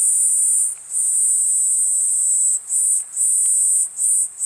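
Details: Singing Platypleura kuroiwae cicada: a shrill high buzz broken by short dips, first one long stretch, then quicker breaks about every half second to second toward the end.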